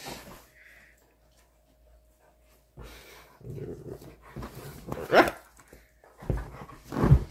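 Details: Siberian Husky named Miko playing rough with one of his brothers indoors; quiet stretches broken by low rumbling growls and a sharper harsh vocal burst near the end.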